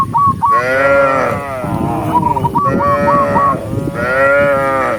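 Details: Several tame cattle mooing while herded along a countryside path at sunset, calling others home: three long, full moos that overlap, with a short burst of quick whistled notes between them.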